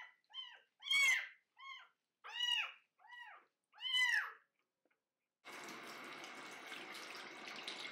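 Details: A 25-day-old kitten, bathing for the first time, utters six short arched cries about every half second, some louder and harsher, described as barking. Then the steady rush of running water takes over.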